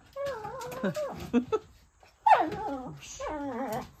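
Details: A pet dog playing with a large ball and chasing it; two bursts of high, wavering whines and yelps with clear stacked tones, separated by a brief pause, indoors with little other noise.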